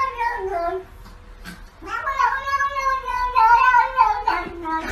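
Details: Cat giving a long drawn-out wailing meow, strongly tonal and slightly wavering, preceded by a shorter falling meow, with a brief click and faint room sounds between.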